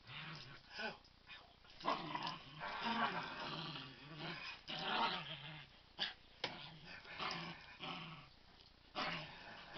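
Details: Dog making playful growls, described as terrible dog swear words, while playing "kill the duvet" with another dog and having a lovely time; continuous rough rumbling growls in uneven bursts with snarly peaks and brief gaps.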